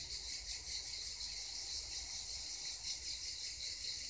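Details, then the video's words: Near the Black Sea coast, cicadas keep up a relentless high, hissing buzz with quick rhythmic throbbing, evenly loud from start to end, faint low-frequency noise underneath. "Cicadas singing near the Black Sea coast!"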